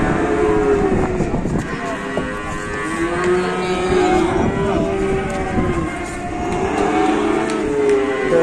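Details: Cattle arriving at market for slaughter low in drawn-out, gently arching moos, several overlapping, amid idling engine noise, knocks and people's voices.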